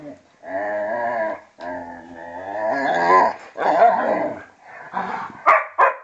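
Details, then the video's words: Vizsla and pointer, Tarkas aged two and a half and Noonoos aged twelve, play fighting; drawn-out whiny, harmonic growls rise and fall in long phrases, then give way to rougher snarls and a couple of sharp yelping barks near the end. "vizsla and pointer play fighting"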